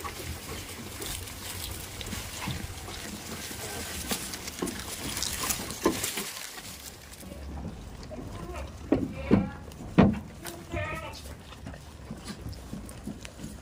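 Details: Tame goats on a goat farm give a few short, wavering bleats with layered tones near the end, rising and falling over several seconds, after a stretch of rustling and handling noise, with a possible voice.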